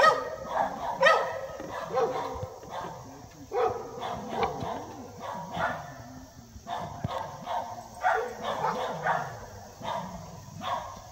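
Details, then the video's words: Several dogs barking, scaring bear cubs into racing up a tree while the mother bear stands guard at its base, repeated a few times in succession. Sharp barks come in irregular bursts, roughly one per second, with overlapping yips. "Bear Cubs Scared Up a Tree by Barking Dogs"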